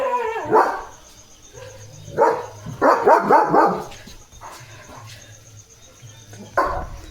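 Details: German Shepherd Leo stands watch at the house gate on a rainy night, letting out a burst of rapid, rough barks in quick clusters, then a lone bark after a pause, over a constant background of night insects and low hum.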